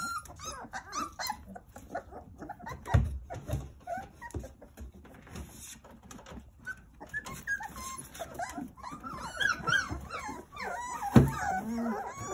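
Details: Nine Jindo puppies at play with their mother Sarang looking after them: scattered thin whines and squeaks amid thumps, scratching and shuffling, growing into a cluster of overlapping high whimpers toward the end, plus one sharp knock.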